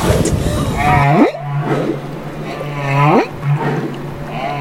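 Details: Baby humpback whale in Banderas Bay, Mexico: two harmonic calls, each with bending tones that sweep sharply upward at the end, about two seconds apart, over a steady low engine-like drone.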